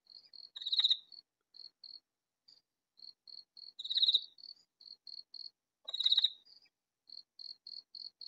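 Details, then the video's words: Katydid calling in a vegetable garden, so loud yet hidden from view: three harsh raspy bursts about every two and a half seconds, each a rapid rattling buzz, with quiet high chirping ticking between them. "Katydid calling in vegetable garden"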